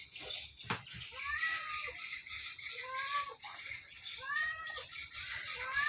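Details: Sleepy domestic cat, one of several companions, resting comfortably at home or in its cage; a series of short, arched, harmonic meows about once a second, some rising then falling, over faint background hiss and distant chatter.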